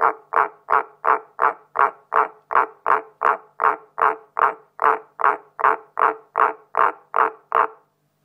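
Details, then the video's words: Jens, a pet frog, calls while being sprayed with a spray bottle: a steady run of about twenty-one short, nasal, mid-pitched croaks, evenly spaced at roughly two and a half per second, then silence. "Jens’ beautiful song today is called Go Away Spray Bottle Nemesis!"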